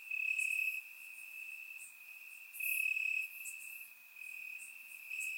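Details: Crickets chirping in the grass on a warm summer night in Bulgaria, recorded with a surround microphone: a steady high-pitched trill runs throughout, swelling into louder bursts about every two seconds, with brighter chirps from other crickets above.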